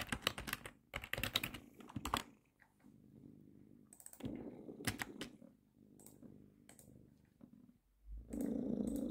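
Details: Pet cat, female, resting on her owner's lap during work, purring in a continuous low rumble after bursts of computer keyboard typing open the recording; the purr swells louder again near the end.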